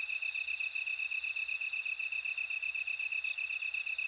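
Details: Bell cricket ringing in a steady, high, bright trill, with a second unbroken insect tone running beneath it throughout.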